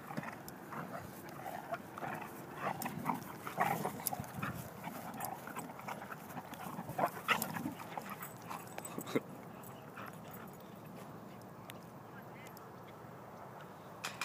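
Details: Rough play between two dogs: Olley the Dalmatian tackles Lola the German Shorthaired Pointer. Choppy snarling growls and panting bursts fill the first half, then fade to quieter scuffling and breathing.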